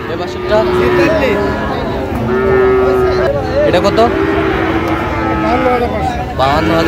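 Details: Cattle at the Raniganj livestock market in Dinajpur, Bangladesh, where Friesian and cross-breed bull calves are sold, 14 August 2025. A steady, low lowing runs under close male voices and bidding, with crowd noise and brief knocks throughout.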